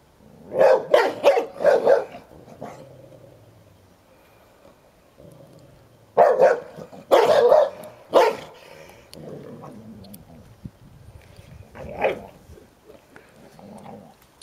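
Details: A 10-year-old Hovawart named Sherlock guarding his toy while a 1-year-old American Staffordshire Terrier, Heini, roughhouses with him indoors; loud bursts of barking in clusters near the start and middle, then scattered softer barks and growls between.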